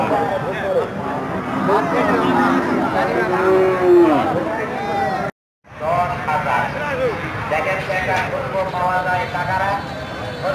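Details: Cows being shown and bargained over by people; a short, sliding low moo stands out near the middle, surrounded by continuous talking voices and crowd noise, with a brief silent gap.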